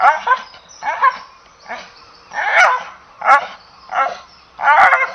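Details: English Bull Terrier giving about seven short, rough, harmonic barks and yelps over five seconds. Some come in quick pairs, and the spacing is irregular. No other sounds are clear.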